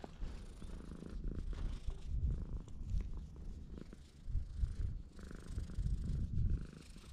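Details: Stray cat on a cat island under a blue sky, purring: a low, rumbling, pulsing drone, swelling and fading in waves, with soft rustling and faint handling noise on top.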